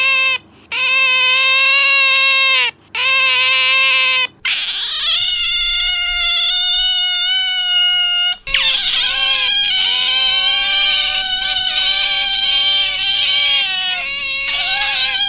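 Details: Pet otter calling indoors, one of two kept otters compared for noisiness: loud, high, harmonic squealing notes held one to two seconds each, separated by short gaps, then a longer wavering, rising-and-falling shriek running without pause.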